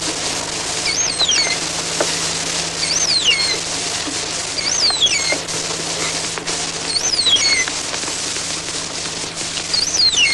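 Pilot whales give high whistles that rise, then fall, repeating roughly every two seconds over crackling clicks.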